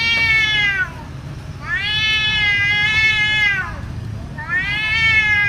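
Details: Fighting domestic cats, a fierce and frightening scuffle; three drawn-out, strained wailing yowls, each held about one to two seconds and sliding downward at the end, with short gaps between them.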